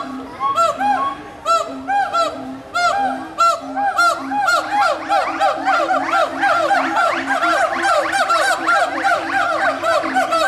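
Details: Gibbons at Walt Disney World's Animal Kingdom, recorded in 2018, call back and forth to each other in loud, rising whoops that quicken and overlap into a ringing chorus.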